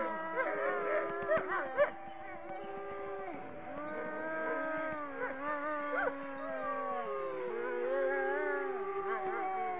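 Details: Several wolves join in a howling chorus: overlapping drawn-out notes slide down and up, with quick yipping bursts near the start.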